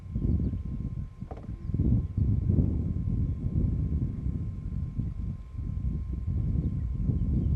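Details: Wild lions of the Shish Brothers coalition, including Casper the white lion, Mfowethu, Casanova and Footloose, roaring near Nsemani Dam on the H7 in Kruger National Park, South Africa: deep, rumbling low pulses that swell and fade in steady succession.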